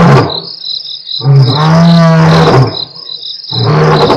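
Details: Two lions of the Mapogo coalition roar at Nkorho on 12/11/07, recorded by a live camera, in deep, drawn-out moaning bursts, with crickets trilling steadily behind.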